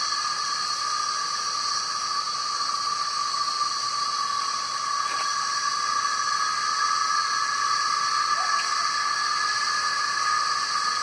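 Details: A dense chorus of male cicadas in trees singing to attract females makes a steady, shrill, unbroken drone with several high buzzing tones.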